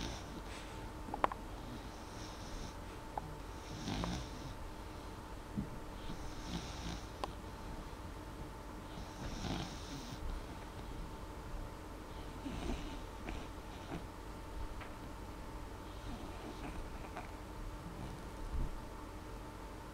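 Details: Sleeping dog named Molly, snoring only lightly: faint, airy breaths recur every two to three seconds across the whole stretch, with a constant background hum.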